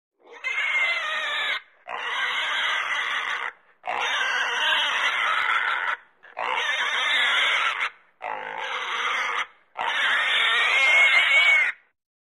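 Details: Pig screaming: six long, harsh, high-pitched screams, each lasting about one and a half to two seconds, separated by brief silences.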